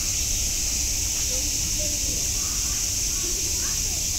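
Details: Steady, intense cicada drone at Nogeyama Zoo dominates, a bright unvarying hiss, with only faint distant voices beneath it.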